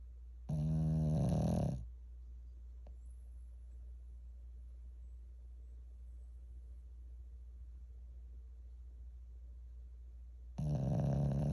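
A Shih Tzu snores loudly, with deep rattling breaths separated by a long quiet pause.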